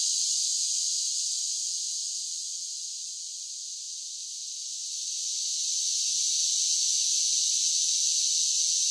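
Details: Cicadas in summer producing a constant sizzling high drone that eases quieter in the middle before swelling back to full strength; nothing else is heard.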